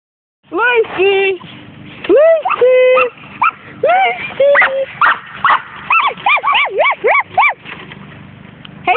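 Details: Two pet dogs having a barking contest: quick runs of high, arching yelps and bark-howls, some held flat tones, trading back and forth faster toward the end.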